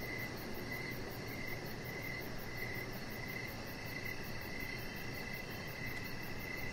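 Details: Evening cricket chirps beside an outdoor deck: bright, high, clipped pulses repeat steadily about twice each second, with constant rumbling background noise underneath.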